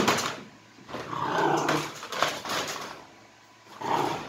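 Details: Indoors, the crated three-month-old Boxer Desi growls in frustration at a toy left out of reach, with long rumbling, harsh growls swelling and fading in three waves across roughly four seconds.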